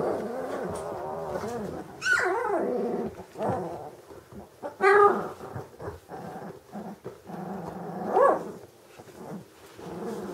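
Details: Vizsla from a German kennel breeding hunting dogs of old working lines, producing low harmonic growls broken by three sharp, sweeping yelps spaced about three seconds apart.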